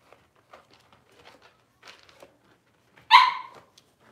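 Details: Indoors, six-week-old Cavalier King Charles Spaniel puppies get dewormed and toenails trimmed; quiet handling noises and small squeaks, then one loud, abrupt yelp toward the end.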